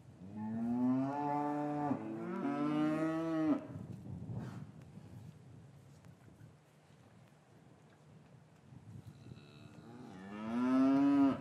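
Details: Cows lowing in an English cattle yard on a winter afternoon, calves separated from their mothers, recorded with a matched pair of Rode M5 microphones: two long, harmonic moos held steady, then a quiet pause, then a third rising moo near the end.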